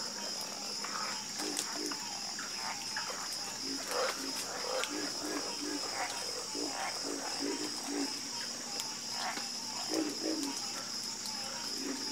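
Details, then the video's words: Chorus of croaking frogs, steady series of brief, low, hollow croaks from multiple callers, some brighter calls rising above the rest, over an unbroken shrill background hum. "Calming Sound Of Harmonious Frog Croaking"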